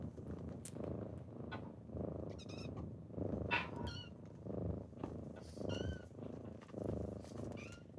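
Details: Morning kittens rousing a sleeping owner: rhythmic low purring in breath-length pulses, roughly one per second, with faint high squeaky chirps and meows scattered over the top.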